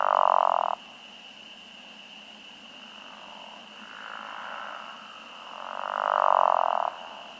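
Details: Pickerel frogs (Lithobates palustris) give low, groaning, snore-like advertisement calls about a second long, over a steady high spring peeper chorus, with occasional green frogs, at a farm pond on a warm early-spring night in 2021.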